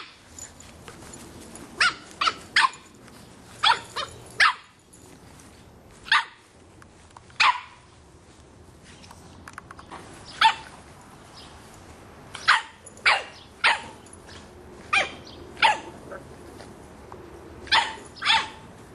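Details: A 3½-month-old Boston Terrier puppy barks loudly at a soccer ball, giving sharp, high yaps in quick bursts, often in pairs, every second or two.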